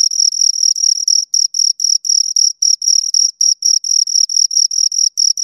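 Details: A pair of crickets keep up a rapid, shrill chirping, short scraping pulses packed closely with occasional brief gaps, the rhythm a little irregular; nothing else audible.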